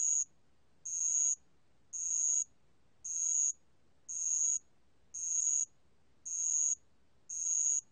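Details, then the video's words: {'caption': 'Bell cricket (알락방울벌레) song from National Institute of Biological Resources material, 2020: a steady series of eight bright, high trilled pulses, each lasting about half a second, evenly spaced with silent intervals.'} "알락방울벌레, 여러번 듣기, 곤충소리"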